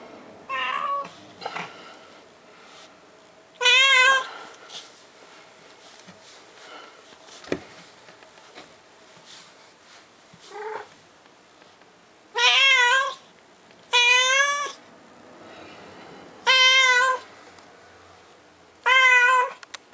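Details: Ushi the cat, wiped down and still lively this spring, gives a string of meows: a few fainter, shorter calls early on, then four loud, drawn-out meows spaced about two seconds apart near the end, with light handling noises.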